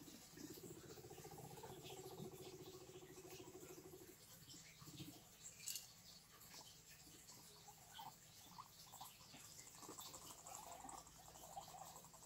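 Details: Guinea pigs heard in a fairly quiet recording. A low, rapidly pulsed rumbling runs steadily for roughly the first four seconds, followed by scattered soft rustles and brief higher chirp-like ticks.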